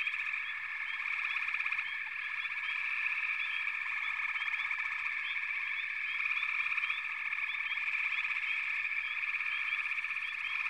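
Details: Dense frog chorus of many callers, forming a continuous buzzing hum with frequent short upward-sweeping chirps repeated throughout; no other sounds stand out.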